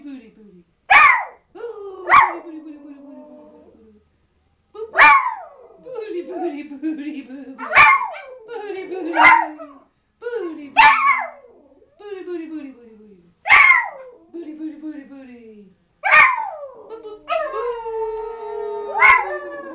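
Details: Two pet dogs, Schipperkes and a hound, sing a playful booty boo song with their owner. Sharp yelping onsets slide into falling, wavering howls, repeated roughly every one to three seconds, with the owner's voice joining in.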